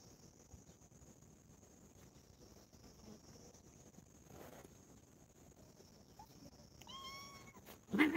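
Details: A cat from a family of four cats that play and quarrel with each other. After a long stretch of quiet background hiss, a single short meow near the end bends up and then down, followed by a loud bump.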